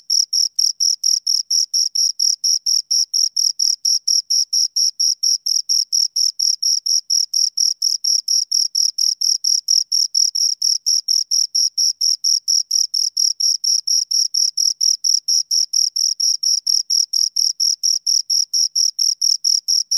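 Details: Two crickets sound high, bright chirps in a fast, very even train of roughly five pulses per second, a thin shimmering overtone riding above them. Clean background with nothing else audible.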